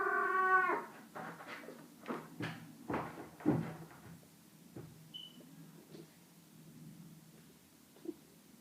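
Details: Cat producing a brief, rich harmonic meow at the opening, then a series of soft scraping and shuffling noises in a quiet indoor room.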